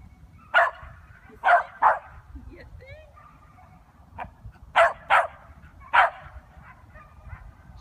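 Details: Seven-month-old Corgi puppy, first time seeing sheep during a herding instinct trial in Virginia; a handful of short sharp barks in two bursts, with a woman praising him in the background.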